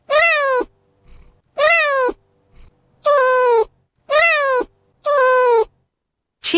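Five drawn-out, nasal cat meows, each rising slightly and then sliding down, repeated about once a second, with brief quiet gaps between them.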